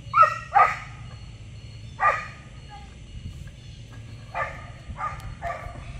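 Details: Young Giant Schnauzer Tux hunting a rat during morning exercise, his first ratting attempt, lets out scattered short barks, a quick pair, then a single, then several more after a pause, over a low background hum.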